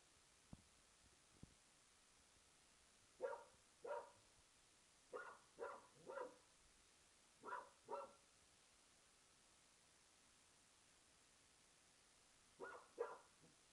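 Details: Archie, an English Springer Spaniel, barking at an old tennis ball in a back garden: sharp single barks, often in pairs or threes, spaced by pauses of one to four seconds, about ten barks over a quiet background.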